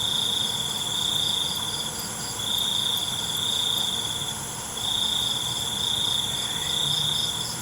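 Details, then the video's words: Crickets at night give long, shrill, high trills broken by short dips, swelling and fading in loudness over a steady high background hiss. "ALUNAN CENGKERIK MALAM"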